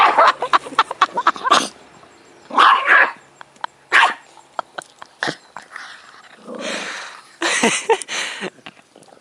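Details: A pet dog excited over a bone it has been given, giving a run of sharp barks and yips followed by longer growling bursts, with clicks and handling noise between.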